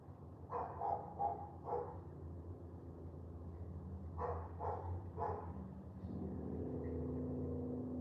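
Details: On a rainy morning walk, a dog gives two bursts of three or four quick barks, then falls quiet as a steady vehicle engine hum rises and fills the background.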